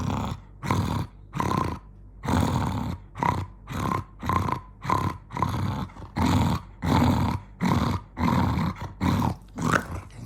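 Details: Jonggi, an angry dog, keeps up rhythmic, gravelly growls, about one and a half per second, each a short rough rumble with brief gaps for breath between bursts.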